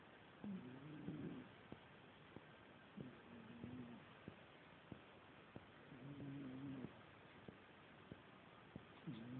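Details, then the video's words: An old female cat snoring while asleep, soft raspy breaths repeating roughly every two to three seconds, with faint ticking sounds between them. "Kissa kuorsaa -Cat snores"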